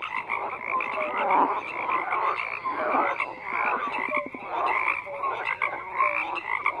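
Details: Overlapping frog croaks form a steady chorus, grating pulsed calls with occasional short bright notes, loudness swelling and dipping in waves.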